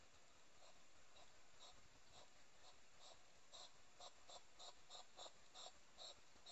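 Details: Wild hedgehogs courting in a Somerset garden at night, 22:23 on 2 July 2020, three animals present: soft rhythmic huffing snorts, about two or three per second, steady and quiet against faint background hiss.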